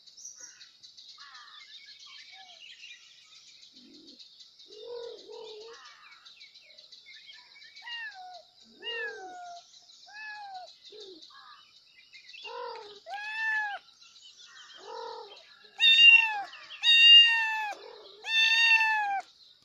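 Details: Kittens meowing loudly for their mother: soft, scattered arched mews at first, about one a second, building to three loud, bright, drawn-out cries near the end, over a steady high background hiss.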